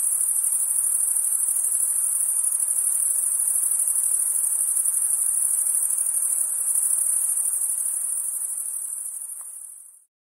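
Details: Summer night ambience of crickets: a continuous, piercingly high, rapidly pulsing chorus holding an even level for about nine seconds, then quickly fading away to silence.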